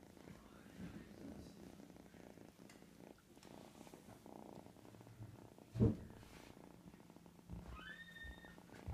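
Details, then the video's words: Three-month-old pet cat purring while asleep indoors: a soft, steady low rumble running throughout, a brief thump near the middle and a faint rising tone near the end. "Cute cat sleeping"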